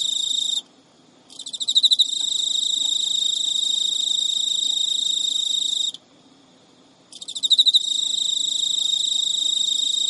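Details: Pet male Emma field cricket chasing a reluctant female with courtship song, midnight, early September, Japan; sustained shrill trills interrupted twice by brief silences, each restart opening with rising, loudening pulses.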